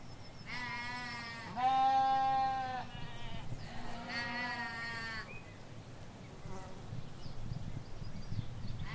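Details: Ewes and lambs in a field in the Hampshire countryside, England: two long, steady bleats in quick succession, then a third wavering bleat after a short pause, with faint rural background hiss.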